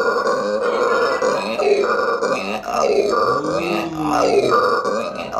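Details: Howler monkey in Aruba giving deep, raspy, guttural grunting roars, a few drawn-out bursts running almost without pause, each rough and burp-like with a strained, throaty quality.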